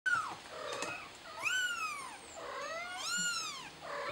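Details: Mother cat trying to help her kitten: three high, arching meows, each rising then sliding down, spaced about every one and a half seconds, with a thin steady high tone behind them.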